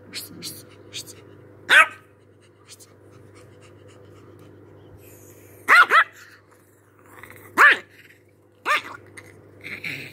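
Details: Angry chihuahua giving sharp, high yappy barks, single and doubled, spaced a few seconds apart with quieter panting and faint speech-like sounds between, over a steady low electrical hum.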